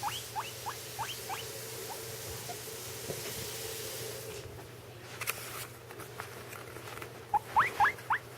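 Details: Two guinea pigs: one gives short, rising squeaks in quick bursts while the other eats, with soft chewing and rustling between them.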